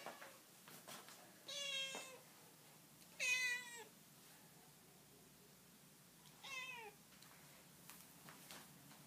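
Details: Domestic cat talking with its owner indoors: three clear harmonic meows, each about half a second, rising then falling, spaced a couple of seconds apart, with faint clicks and quiet room noise between.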